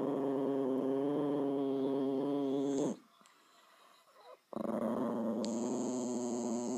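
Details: Deep vibrating growl from Bowie the dog, held for about three seconds, a pause with faint rustling, then the rumbling, rapidly pulsed growl starts again alongside a thin steady high tone.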